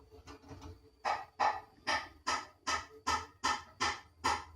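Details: Two adorable baby kittens mewing: nine short, harsh, falling meows follow a few faint ones, each about a third of a second apart, in a quiet indoor room.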